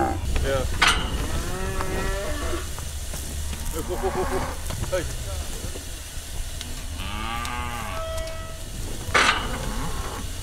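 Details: Herd of Brahma, Hereford and Brangus cattle during a round-up to sort out calves; overlapping bellowing moos from several animals, some strained and hoarse, with hissing noise and clatter between calls.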